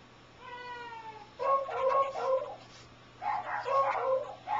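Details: Wasabi, a dog, gives weird barking in response to weird sounds, with a head tilt: a soft falling tone plays first, then two bursts of whiny, harmonic, moaning barks in quick succession, indoors.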